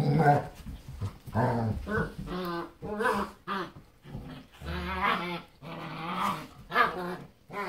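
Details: Adult German Shepherds in play with their puppy daughter, showing her how to play; a run of choppy growls and grumbling vocal bursts, rising and falling, with brief gaps between them.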